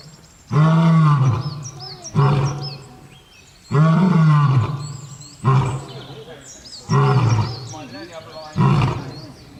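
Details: Lion producing a series of deep, strongly pulsed roars, six bursts of varying length, while thin high chirping sounds are heard faintly over them.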